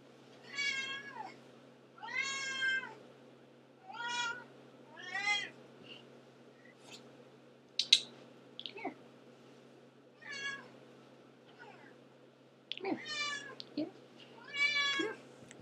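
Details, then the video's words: Pet cat that meows constantly indoors: a long series of loud, drawn-out meows, each rising then falling, several seconds apart, mixed with shorter chirping calls and a few soft clicks. "Antigone the Meower"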